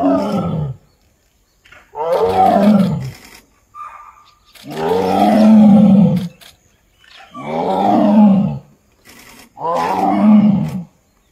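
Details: Tiger (Panthera tigris), roar.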